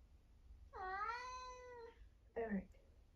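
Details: 1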